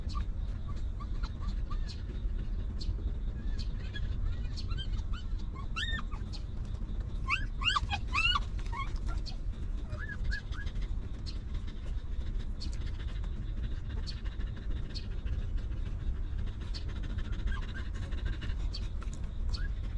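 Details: A litter of puppies born to a stray mother dog, now sheltered and fed, lets out a burst of high arching whines and squeaks packed together around the middle, with softer isolated whimpers before and after against a constant low rumble.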